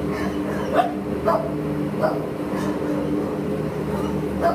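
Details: An adoptable American Pit Bull Terrier, 22 July 2015, gives a few clipped barks about half a second apart, then pauses before one more at the end, all above a constant droning hum.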